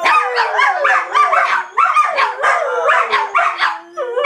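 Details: A pack of dogs howling and yelping at once, short, bouncing howl notes repeating in quick pulses with a sustained lower howl running beneath toward the end.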